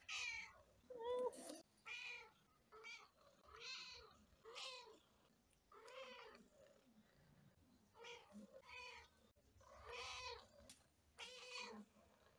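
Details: Pet cat meowing repeatedly, roughly once a second, with short, bending, slightly strained calls of varying pitch over a faint low background hum.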